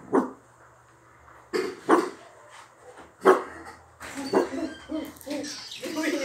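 A Dachshund gives soft, breathy whisper barks in short, muffled bursts, with a person speaking.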